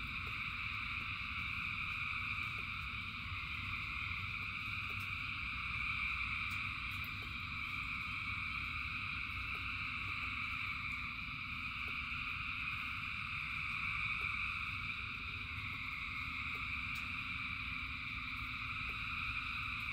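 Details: Rain-time chorus of countless frogs: an unbroken wall of high trilling in layered pitches, gently waxing and waning, backed by heavy steady rainfall and light irregular clicks of drops.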